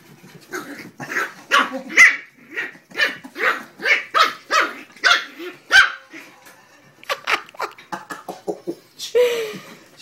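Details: Terrier puppies playing indoors, with a series of sharp yappy barks repeated roughly every half second, a short pause, then more quick barks and a growly yelp near the end; people talk and laugh in the background.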